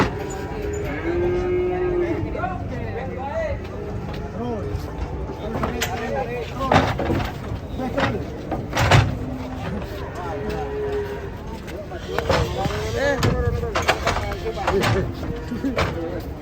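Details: Cattle being unloaded from a truck in Indonesia: a few drawn-out lowing moos rise over a busy scene of clattering, crowd voices, clapping and background music.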